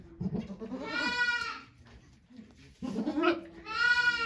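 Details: Goat named Okayu bleating while giving birth to two kids at Yoshigake farm in Japan on 3 May 2023, watched by volunteers; two long harmonic bleats with a quieter wavering cry between, soft voices nearby.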